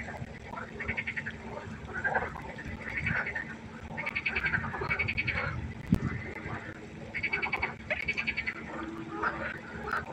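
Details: Frogs croaking at night by a pond: several callers give pulsed, rattling croaks in overlapping bursts of about a second, with steady low background hum throughout.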